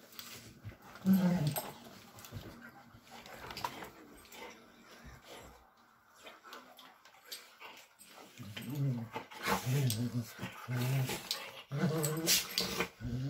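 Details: Bluetick Coonhounds playing together indoors, giving low, rumbling growls and throaty grunting bursts, loudest in the second half, mixed with scuffling movement noises and a person's voice nearby.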